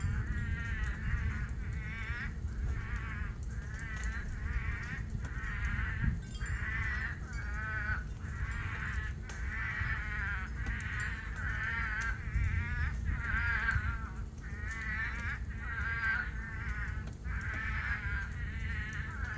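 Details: Many toads singing in a rain-filled pool during a monsoon rainstorm at a farm; the pool soon dries. Dense chorus of overlapping wavering, bleating trills, repeated roughly every second, over constant low rain noise.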